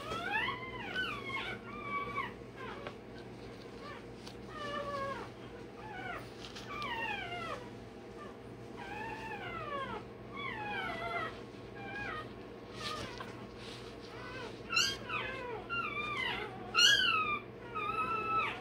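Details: Day-old Rottweiler pup crying as its tail and dewclaws are done. A nearly continuous stream of piercing, downward-curving yelps and squeals, about one per second, gets louder and sharper toward the end.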